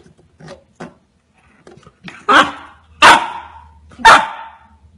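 A Golden Retriever puppy barks loudly in excitement, sharp broad barks about a second apart.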